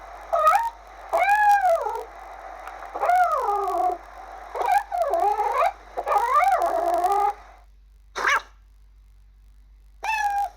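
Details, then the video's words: Kittens giving a run of about eight loud, arched meows, each rising then dropping in pitch with strong harmonics, some drawn out and wavering, with short pauses between and two isolated calls near the end. "Sounds of amazing kittens!"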